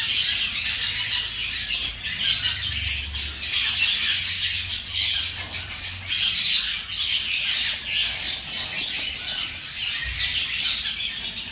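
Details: Feeding time for five-day-old baby hamsters: steady high-pitched squeaky twittering from the whole litter, surging and easing in rhythm, over a soft low rumble.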